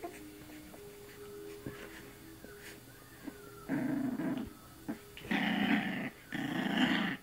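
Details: Puppy named Sammy, a young female, playfully growling while mouthing at an arm; low rumbling growls in bursts around four to seven seconds, noisy and rough, with quiet shuffling between.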